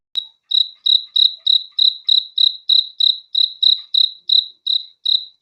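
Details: Cricket chirping at night: a single loud click, then clear high-pitched pulsed chirps repeated about three times a second in a steady rhythm, each chirp a short buzzy burst, with a silent background.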